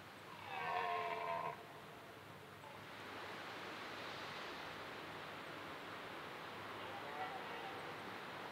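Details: A red deer (Cervus elaphus) in a dark Danish forest during the rutting season, in low light, gives one brief, harsh, moaning call over a steady background hiss.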